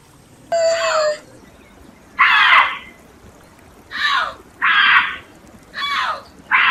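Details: Bobcat giving short harsh raspy squalls, each under a second, repeated every second or so, with one brief tonal yowl at the start.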